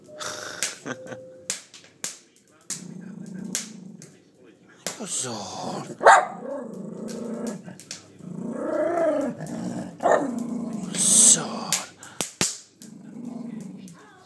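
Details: Four-year-old Jack Russell Terrier indoors, giving harmonic growling whines that rise and fall in bursts, mixed with sharp clicks and a few short barks, while a person talks over the dog throughout.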